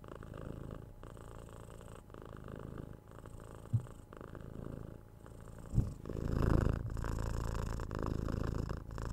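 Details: A young kitten, six months old, purrs as it is cuddled and scratched on the head; low even rumble with a couple of soft taps and a louder brushing or kissing burst near the end.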